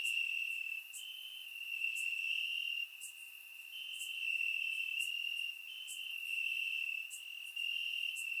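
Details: On a warm summer night in Bulgaria, crickets chirp in the grass: a steady high-pitched trill from several insects, loudness rising and dipping in blocks of a few seconds, with sharp faint clicks above, captured by surround microphone.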